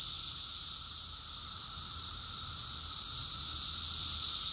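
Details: Summer chorus of cicadas in Rockville, Maryland, USA, June 2021: a dense, unbroken high-pitched hiss with a faint lower steady tone, dipping slightly after the first second and swelling louder toward the end.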